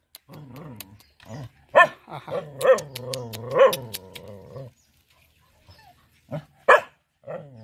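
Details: Village mother dog guarding her four puppies, barking at a person who approached to play with them: sharp, irregular barks mixed with low rumbling growls, then a pause before two more barks.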